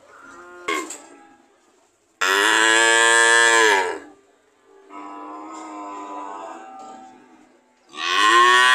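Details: Cattle lowing, with a strong drawn-out moo near the middle, a softer moo after it, and another loud one starting at the end; a short thump near the start.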